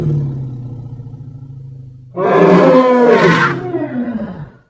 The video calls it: Som de elefante - elephant sound